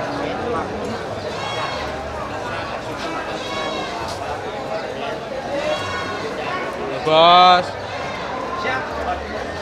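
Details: Goat at the Pon market in Bangsri, Jepara, bleating once in a loud, wavering, harmonic cry near the end, over steady market chatter and people talking throughout.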